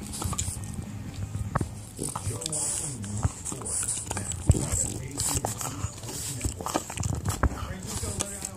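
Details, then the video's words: While gnawing an elk antler, a little French Bulldog keeps up low, wobbling growly moans that rise and fall. Crisp chewing clicks and knocks punctuate the grumbling. "Noisy little French bulldog chewing on an elk antler"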